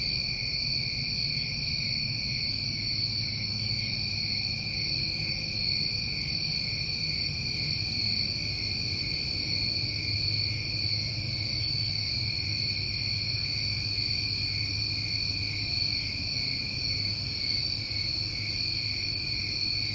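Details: Crickets on a New England summer night: a dense, unbroken chorus of steady high trilling at several layered pitches, with faint higher shimmering pulses every few seconds over a low, constant rumble.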